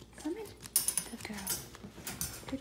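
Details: Boston Terrier mother in labour, giving birth on day 63 to a litter of nine purebred puppies; short high whimpers and squeaky cries, with soft rustling and a brief jangle.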